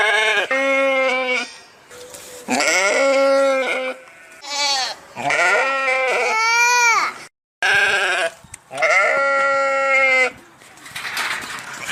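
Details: Repeated sheep bleats, six or so in quick succession, some wavering and others rising in pitch, each lasting around a second with short silences between them.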